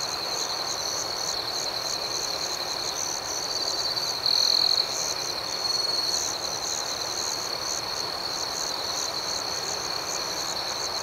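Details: Nighttime chorus of crickets, a continuous high shimmering drone with fast rhythmic pulsing throughout and one brief louder trill near the middle.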